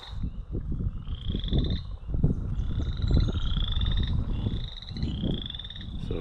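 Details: One chorus frog, just beside the path in a shrub-swamp marsh on the K&P Trail, Ontario, on April 11, 2021, gives short, rising, rattling trills like a fingertip run along comb teeth, every second or so, over wind and a man speaking.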